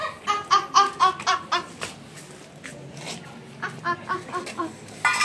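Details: Hungry adopted street kittens, strays in India, cry for milk while the mother cat waits nearby; a quick run of short, bright, harmonic mews repeats about four times a second, then fades into sparser, softer cries and a final loud burst.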